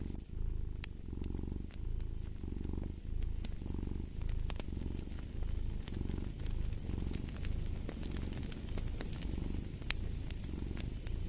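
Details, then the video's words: A cat's deep purr pulses in clear waves, each inhale and exhale roughly a second apart, a soft buzzing rumble beneath occasional bright pops of fireplace crackle. "Purring of a Cat"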